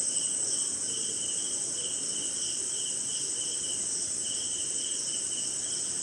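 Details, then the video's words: Insect night chorus led by crickets during a brief rainy spell in India: a bright sustained ringing trill and a lower pulsed chirp that pauses briefly midway before resuming, over faint background murmur. "Sleeping Night in Jungle - Cricket & Swamp! Forest Sound"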